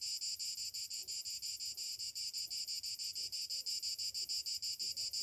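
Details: Summer morning cicadas in a steady high shrill drone, pulsing about three times a second, with faint low sounds beneath.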